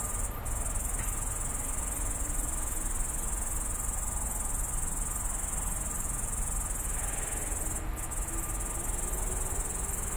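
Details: Pretty loud grasshopper at night in a roadside bush on Tallinn's outskirts, phone-recorded: constant high, bright buzzing drone without breaks, two brief sharp ticks, and a soft low hum of distant city noise underneath.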